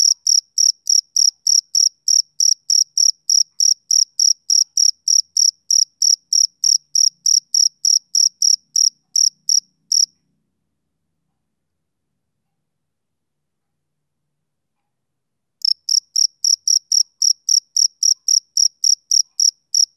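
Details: A male cricket on a summer evening gives a shrill, even chirp repeated roughly three times a second, then falls silent for about five seconds before chirping again at the same pace; no other sounds.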